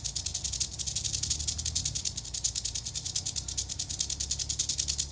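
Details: Eastern diamondback rattlesnake in Florida, disturbed on location, rattles in a loud, fast, pulsing buzz, hissing and dry, throbbing in quick waves over a faint low hum.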